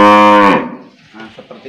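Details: An old cow is fitted with a nose rope and lets out a loud, rich, steady moo lasting about half a second. It cuts off into quieter scuffling and murmured talk.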